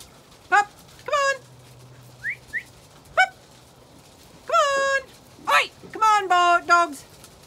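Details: Zwartbles ewes on a regenerative farm in County Kilkenny, Ireland, rushing to their evening dinner shortly before lambing time: loud, harmonic bleats of varying pitch, some long and wavering, overlapping near the end, with two short rising whistles between.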